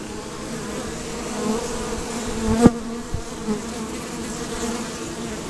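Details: Honey bees around a hive box at an organic family farm in Markham, Ontario, during strawberry picking, recorded close up on a Samsung WB50F compact camera. A steady, droning hum from many wings fills the air, broken by one sharp knock midway.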